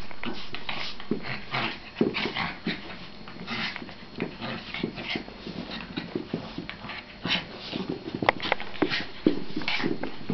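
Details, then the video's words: Pet dogs play fighting in a small room, giving rapid irregular growls, snorts and short yips about twice a second, mixed with scuffling and thumping of bodies. "dog fight"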